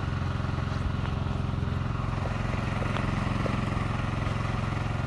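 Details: A steady, throbbing engine drone, like a motorcycle or small motor idling, fills the recording with low rumble and a regular pulse, with no animal voices.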